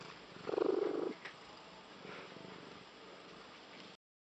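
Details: Domestic cat with an unusual purr likened to a tree frog: a single loud, rough, buzzy burst lasting about half a second, followed by quieter low rasping.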